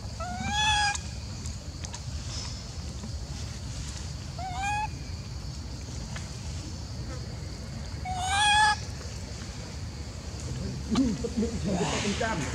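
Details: Golden female macaque Elpida of the Maha Nokor group, seemingly jealous while old female Susie gets food, gives three short upslurred harmonic squeals about four seconds apart over a constant low rumble, with a rustling noise near the end.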